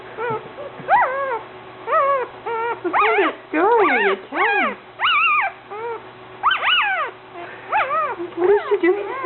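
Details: New puppy whimpering and yipping: high, arching whines repeated in quick bursts with short pauses, some rising then falling, alongside low human voices in the background.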